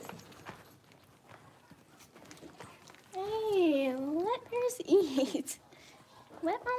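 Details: Blenheim Cavalier King Charles Spaniel puppies, a litter of five born at New Year's, playing indoors in a puppy pen: a long wavering whine rising and falling in pitch, then short yelping cries, over soft clatter and movement.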